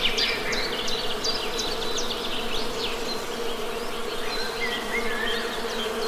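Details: Honey bees hum in a low, constant drone beneath scattered sharp chirps and a few drawn-out whistles from birds nearby.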